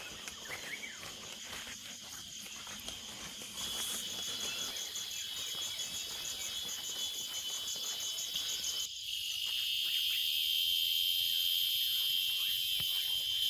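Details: Unidentified insect calling loudly from a tree near the entry gate of the forest trail at Kadaladi, Thiruvannamalai district, Tamil Nadu, ear-blocking in intensity; a high, steady, pulsing shrill that grows louder in the second half, with faint footsteps and outdoor noise.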